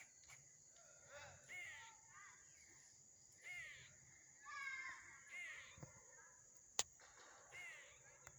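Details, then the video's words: Squirrel giving odd vocalisations: short squeaky chirps that sweep upward, in clusters about every second or two, with one sharp click partway through. A constant high-pitched whine sits in the background. "SQUIRREL MAKES STRANGE NOISES"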